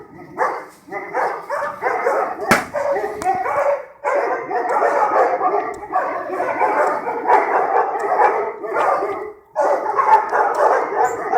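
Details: A pack of stray dogs barking at night in the streets of Sarajevo, an archival recording: a dense, continuous chorus of overlapping barks from several dogs, with brief lulls near four and ten seconds.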